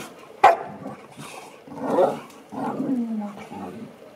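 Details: American Akita and Chow Chow dogs playing together indoors; a sharp, loud bark at the start, then two drawn-out growly, harsh vocalizations, the second sliding downward at its end.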